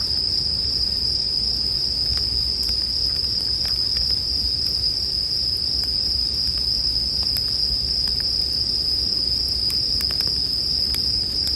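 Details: Over a crackling campfire, bell crickets keep up a constant shrill ringing note, with frequent wood pops and a rumbling low-frequency bed below.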